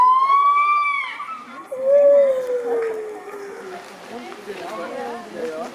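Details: Gibbons give a loud, clear, rising hoot, then a long note sliding slowly downward, followed by quieter wavering calls among background chatter.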